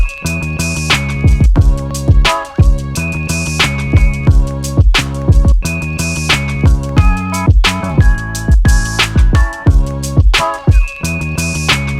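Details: Loud funky music with a deep bass line, plucked guitar and drums repeats in short looping phrases, with no animal voice anywhere.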